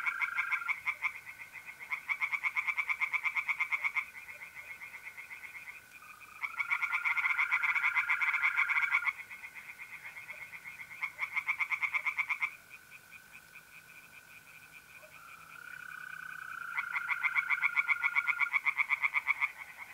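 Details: Night chorus of tree frogs in a pond, north-east Italy, mid-April: bursts of rapid, harsh pulsed croaks lasting a second or two, alternating with quieter spells, while mole crickets keep up a continuous buzzing trill.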